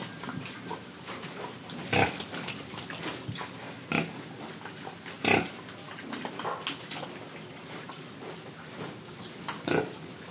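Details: Indonesian pig, oinking while breathing and eating, gives short harsh grunts spaced about two seconds apart, with quieter chewing clicks and snuffling between them.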